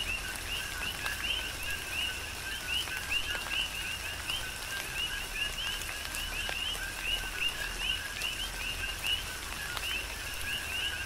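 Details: Coqui frogs on Hawaii's Big Island chorus through a tropical rain shower, dense overlapping two-part calls, a short lower note then a higher upswept chirp, continuing without pause against a hiss of rainfall and scattered drops.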